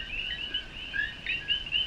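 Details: Coqui frogs in a Puerto Rican jungle chorus as rain begins at dusk, males calling to attract mates: bright whistled notes rising sharply in pitch, overlapping steadily from several callers.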